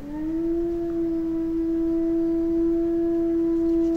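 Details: Eurasian wolves, a small pack howling in the Finnish taiga: one long, steady, level howl held for four seconds after a short rising start, with faint higher harmonics above it.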